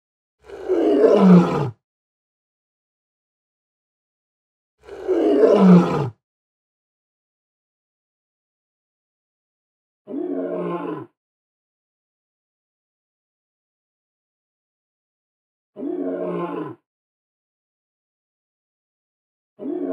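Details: African savannah lion roaring: two deep, heavy, groaning roars about four seconds apart, followed by three shorter, lower-pitched grunting roars at roughly five-second intervals, each separated by silence.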